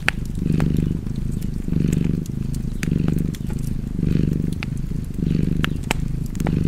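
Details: Domestic cat purring beside a fireplace: a low, rumbling purr swelling and fading with each breath, roughly every second, with sharp crackles and pops from the fire scattered over it.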